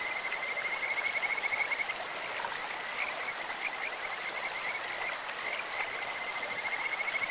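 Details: Chorus of Kajika frogs in a clear mountain stream, several voices overlapping in bright, bird-like trilled notes that pulse steadily, some phrases rising in pitch, all set against constant rushing water.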